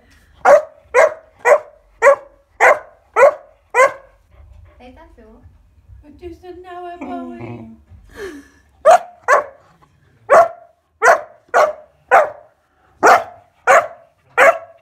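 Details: Kuvasz pup Bowie, 14 weeks old, barking while playing with scales at home: a rapid series of sharp barks, a pause filled with a person's voice, then steady barking resumes at about two per second.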